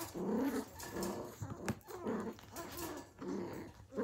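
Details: Australian Cattle Dog (Blue Heeler) puppies playing indoors, 2020: a run of low, rough growling bursts, roughly one every second, with short gaps and light scuffling between them in a small room.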